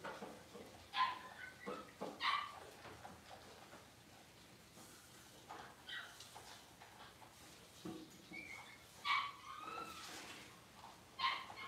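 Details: Six-week-old Cavalier King Charles Spaniel puppies getting dewormed and toenails trimmed in a puppy pen; scattered brief, high squeaky yips, a few in quick pairs, with low room noise and faint talking between them.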